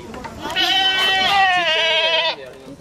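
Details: Lively young goat kid at Aso Milk Farm in Japan giving one long, loud, wavering bleat lasting nearly two seconds, with faint talk in the background.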